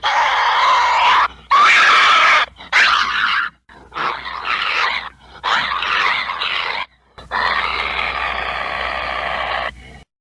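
Rough, throaty snarling from an American badger comes in short, noisy bursts of a second or two. The growls are gravelly and strained, separated by sudden gaps, with no other animals or background sounds.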